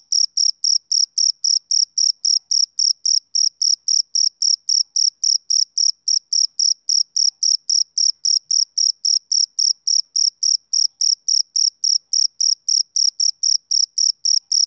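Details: Summer-evening chirping of a male cricket: crisp, piercing high notes pulsing rapidly and steadily, close to four each second, continuing unbroken with nothing else audible.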